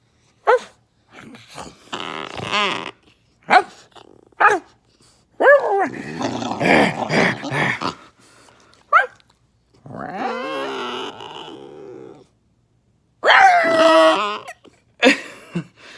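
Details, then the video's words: Dog indoors producing odd vocalizations: short sharp yips, rough grumbling growls and drawn-out whining moans with bending pitch, separated by brief silences. "Rockys weird sounds."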